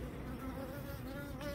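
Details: Asian honey bees in a hive that is preparing early to swarm, with four queen cells found during an inspection, make a steady low hum with layered droning tones and no break.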